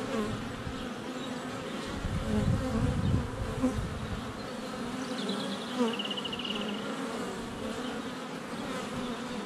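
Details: Dense humming of many honey bees flying around the hive entrance on a sunny February day, GoPro Hero 7 Black under a foot away; steady layered drone, with a faint high birdsong phrase in the middle.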